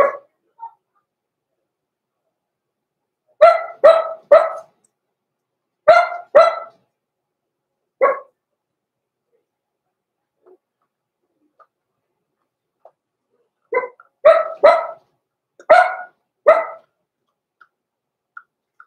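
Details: Roman and Blue, blenheim Cavalier King Charles Spaniel puppies from a small litter born November 14, 2022, bark in rapid bursts of two or three, with short silent gaps and a few faint clicks between.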